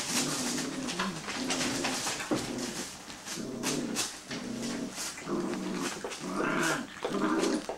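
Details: Six-week-old Greater Swiss Mountain Dog puppies, indoors, giving low, moaning whimpers in short bursts of about half a second, repeated every second or so, over steady rustling and shuffling.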